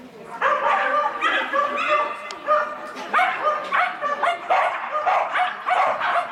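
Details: Koppalainen, a Schapendoes, on an M3 agility course on 12 February 2017 (run disqualified): loud, ringing, tonal barks and yips, roughly two or three a second, rising in pitch, with faint talk in the background.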